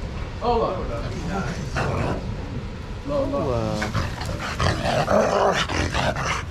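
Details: Dogs playing together in a shelter yard under trained handlers' watch, one giving a run of high, tonal yelping whines midway that slide and waver, with short barks, people talking and a steady low rumble underneath.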